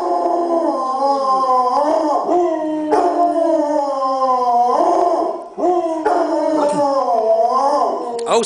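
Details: Several dogs howling in a continuous chorus, long wavering overlapping tones sliding up and down, with brief dips and yelping breaks between howls.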